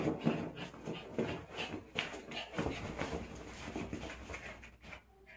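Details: Pet dog Doldol, attached to and playing with its toy doll indoors, gives dense rasping huffs and whiny, grunting breaths in quick irregular bursts, with brief human speech mixed in.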